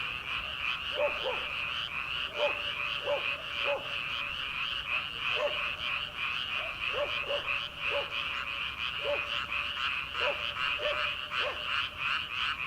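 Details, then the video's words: Early-summer frog chorus from rice paddies at night, before rice planting: a continuous high trilling background, with frequent lower, clipped croaks repeating in irregular bursts throughout. "초 여름 개구리 울음소리/ 논에서 들리는 개구리 소리"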